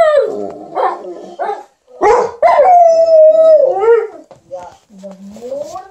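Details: Indoors beside an owner who is ironing, an Alaskan Malamute named Liza and a Golden Retriever named TJ keep up playful "talk": wavering moans, a long level whine, then softer rising whimpers.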